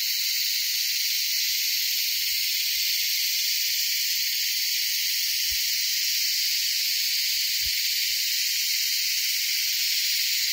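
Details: Beetles on the Kaas Plateau give a loud, unbroken, high-pitched buzzing drone as a mating call, with no pauses, so loud it hurt listeners' ears.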